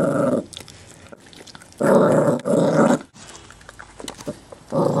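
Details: Chihuahua mix growling to act tough over a bone; short low snarling bursts alternate with quiet stretches containing faint clicks and room sounds.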